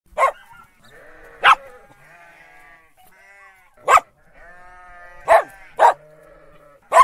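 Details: Dog barking with sheep in the background: six short, sharp barks at irregular intervals. Soft, wavering sheep bleats fill the gaps between the barks.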